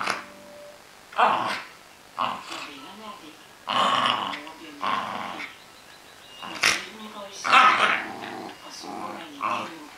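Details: Playing Cairn Terrier making a series of short growls and gruff barks, spaced irregularly every second or two, mixed with human voices in a small room.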